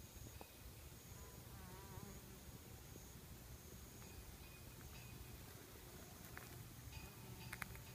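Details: A Western honey bee feeding on sweet nectar from red, thread-like silk tree (Albizia) flowers, moving from bloom to bloom, makes a steady, low droning wing buzz with faint chirps and tones above.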